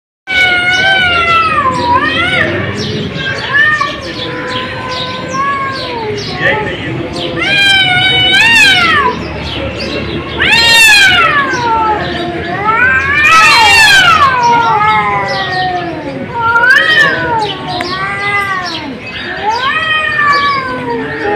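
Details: Domestic cats meowing and yowling, several overlapping wavering calls, some rising then falling, loud and near-continuous over twenty seconds, with a few sharper higher cries and constant background noise.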